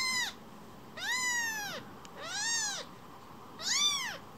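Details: Rescue kitten, a baby cat, wanting more petting: four clear arched meows in four seconds, each rising then dropping, the second and third longer and drawn out, bright and harmonic-rich.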